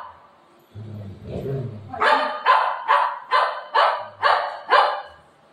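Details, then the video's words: Buzo, a pet dog, barks angrily at its owner at home: after a short low rumble come seven loud, harsh barks, evenly spaced about half a second apart. "Buzo ne mummy per Aaj gussa Kiya"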